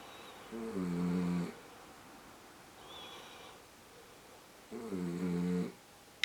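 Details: Female miniature dachshund asleep indoors with her eyes open, snoring in low, buzzy, droning breaths, two long rumbling snores about four seconds apart with a faint softer one between, over steady background hiss.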